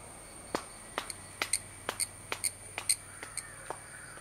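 A cicada sings a continuous, piercing high tone that stays level throughout. Crisp hand claps, uneven but roughly twice a second, dominate over it, and the insect keeps singing along with them.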